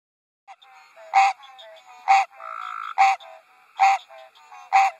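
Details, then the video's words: A male American green tree frog sitting on a lily pad on a water lily farm on a spring night gives loud, nasal, honking quonks, repeated about once a second as mating calls. "Mating call of an American Green Tree Frog"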